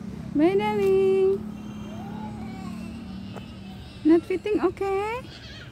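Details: Pet cat meowing during separation from its owner: a long, level, drawn-out meow, then after a pause a cluster of shorter bent meows ending in another held one, with a person softly saying goodbye nearby.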